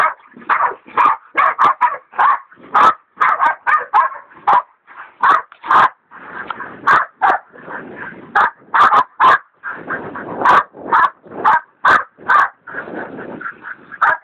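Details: Hog dogs Dixie and Dollie hold a big sow hog at bay, Dollie a leopard dog still training; long run of fast, excited barks, roughly two per second, with overlapping yips and whimpers throughout.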